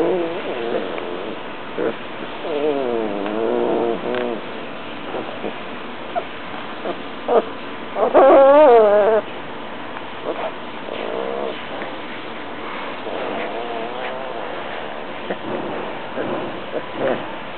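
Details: Tibetan Mastiff whimpering and whining: repeated short wavering whines, a louder rising-and-falling whine near the middle, and scattered yips over steady background noise.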